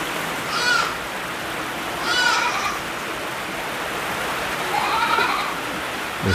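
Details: Black goats at a Jeju farm holding about 3,000 of them, near the cypress forest of Goi Oreum: four wavering, harmonic bleats, one every one to three seconds, over a constant broadband hiss.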